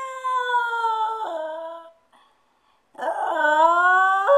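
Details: Stewart, a pet dog left alone at home, howls with a long falling tone, pauses in silence, then resumes with a rising, wavering howl that climbs at the end.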